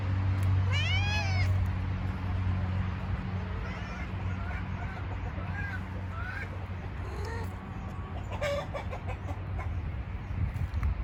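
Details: Cat protecting a chicken farm gives a loud, clear meow that rises and falls early on. Several shorter, fainter meows follow over a steady low rumble of background noise.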